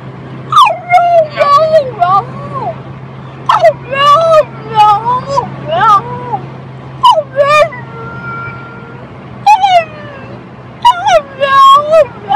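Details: A French Bulldog "talks" in wavering, whiny yodels that slide up and down in short bursts.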